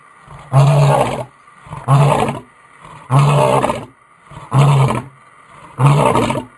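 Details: A lion's roar used to recognise pride members; five evenly spaced, loud, deep, rasping grunts, each under a second, follow one another roughly every 1.3 seconds in a steady series, with quiet gaps between them.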